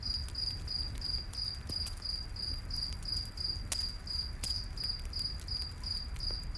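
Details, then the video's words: A high cricket chirp repeats steadily about three times per second in a night forest, accompanied by crackling firewood and a deep, continuous rumble of flames. "Campfire In The Night Forest w/ Cricket Sounds"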